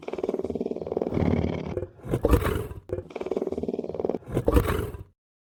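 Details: Lion (Panthera leo) growls in a deep, pulsing rumble that swells into a harsher, louder burst.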